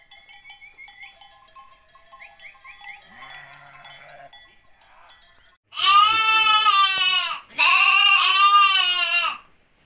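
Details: Ripollès lambs recorded on 30 June 2022: soft high chirps of small birds at first, then two long, loud, wavering bleats, rich in harmonics and held about two seconds each, one after the other.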